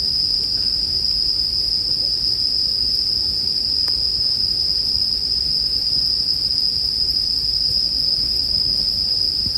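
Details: A chorus of bell crickets keeps up a constant high, ringing trill. A faint crackle from a bonfire pops up once or twice against a low murmur of fire noise.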